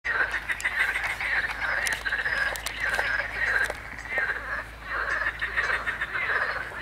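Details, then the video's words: Marsh frogs and water frogs croak in a dense chorus, rattling and quacking calls overlapping in bursts about every second, recorded 21 May 2023, alongside reed warbler song; marsh frog and water frogs. "Rechot żab śmieszek i żab wodnych"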